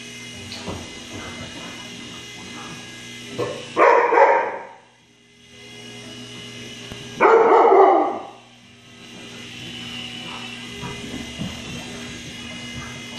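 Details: Siberian Husky; bark; fearful reaction to a passing helicopter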